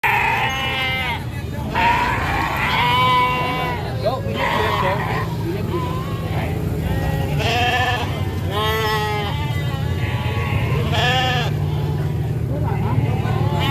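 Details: Sheep taken to market by a farmer bleat repeatedly in wavering, nasal cries among people talking and a busy low rumble of market noise.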